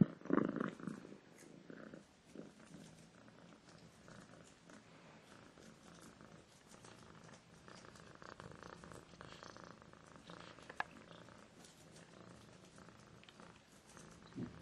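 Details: A cat purrs steadily, a soft continuous low rumble with fast, even pulsing throughout, close and quiet, with a brief rustle at the start.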